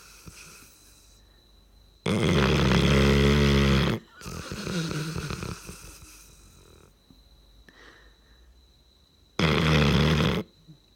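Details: Sleeping dog snoring loud, long buzzy snore around two seconds, then a softer wheezing breath, a quiet pause, and another strong snore near the end; a thin constant high hum runs underneath.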